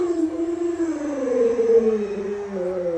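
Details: A pet Alaskan Malamute named Luoluo howls as its owner lies ill in bed. One smooth, sustained, tonal howl lasts about three seconds, rising slightly and then sinking gently in pitch. No other sounds intrude.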